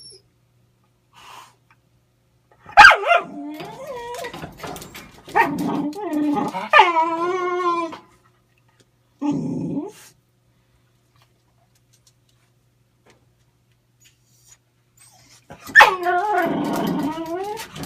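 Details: Dog whining for a pipe it badly wants but cannot use or play with; bursts of high, wavering, rising-and-falling whines with short yelps, separated by silent pauses, in a quiet setting.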